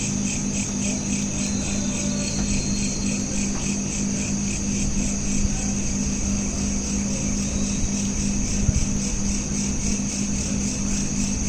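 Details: Night-time crickets captured with a smartphone give a continuous train of fast, high-pitched pulsed chirps. A constant low hum runs beneath, with a few soft knocks near the end.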